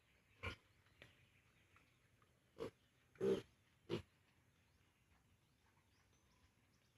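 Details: Piglets on a farm, 32 days old and still with the sow before weaning, grunt faintly and sparsely: a few short, low pulses scattered across seven seconds against a quiet background hiss.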